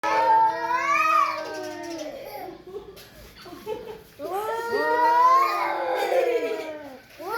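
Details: Domestic cat arguing with another cat indoors: two drawn-out, wavering meows, the first rising then falling, the second swelling into a long whining wail after a quiet gap.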